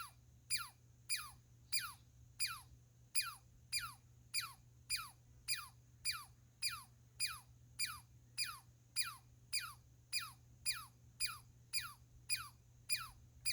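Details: A squirrel repeats quick downward-sliding whistles, each a thin laser-like 'pew' falling from very high pitch, around 23 in thirteen seconds at a fairly even pace, with a faint steady hum behind.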